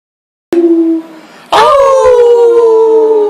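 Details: Family dog Frito howling with the family in August 2012: a long, smooth tone that starts near the top of its pitch and slides slowly downward, after a brief lower human-like note.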